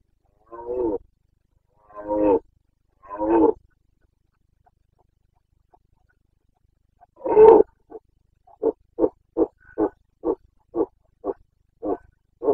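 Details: Carpathian red deer stag during the autumn rut in Bucovina, 29.09.2022: three guttural roars, a pause, one powerful long bellow, then a rapid run of about ten short, clipped grunts spaced roughly half a second apart.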